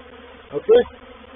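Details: Honey bees from a reproductive swarm moving into a bait hive, or swarm trap, on 04/07/21: a steady low hum with a humming overtone above it, broken by a louder, brief burst of buzzing near the middle.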